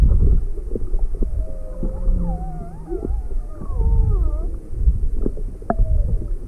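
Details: Juvenile humpback whale off Maui on February 17, 2020, an inquisitive young animal approaching a boat with its motor off, its mother nearby: varied tonal moans and gliding, upswept whistles over heavy low rumbling water noise.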